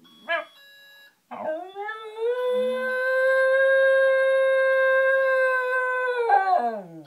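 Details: Pet Shiba Inu dog howling like a wolf in response to an alarm clock. After a short yelp comes one long, steady, rich-toned howl held for about five seconds. It ends in a wavering, whimpering fall, with a person talking around it.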